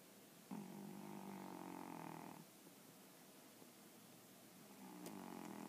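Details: A pet dog snoring contentedly during an afternoon nap indoors: one long droning, buzzy snore lasting about two seconds, then a quiet pause before the next snore starts near the end.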